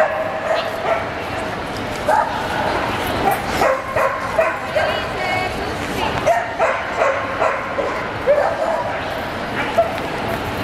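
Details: Barking Samoyeds in the champion class male judging at a Lahti show on 27 April 2014: clipped, high yips repeated irregularly, roughly every second at times, set against a noisy hall of talking people.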